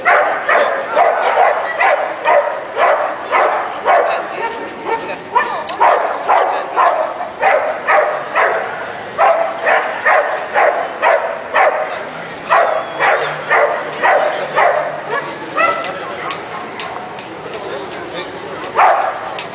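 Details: American Pit Bull Terrier named Orkan, born May 2006, at an FCA grip competition filmed June 2010; rapid, steady barks repeated about twice per second throughout, with people's voices in the background.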